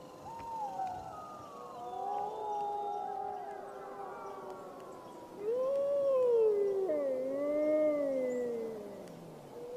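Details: Several grey wolves howl together in the wild under a full moon, overlapping wavering tones rising and falling, one voice swelling into a bending howl that slides down at the close.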